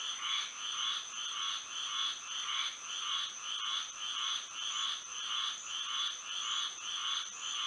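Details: Frogs singing at night under moonlight in Florida: a dense chorus of short nasal croaks pulsing in regular bursts, about nine to ten every five seconds, over a steady high insect-like hum.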